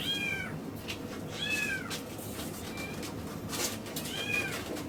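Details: Miniature Schnauzer puppy, a male born 13 August 2015, kept at a pet shop in Yokosuka, Japan. It whimpers repeatedly: three clear, high, downward-curving whines and one brief fainter squeak, spaced over several seconds against low room noise.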